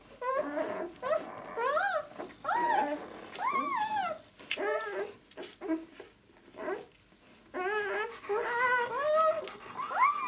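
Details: White German Shepherd puppies of the "of White Night" B litter, aged six days: repeated arched squeaks and whines about once a second, some rising at the end, over soft rustling indoors.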